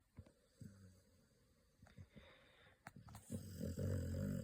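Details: American Pit Bull Terrier puppy named Pocky, asleep with eyes rolled back, snoring: soft low snorts early, then a louder, rougher rasping snore building over the last second indoors.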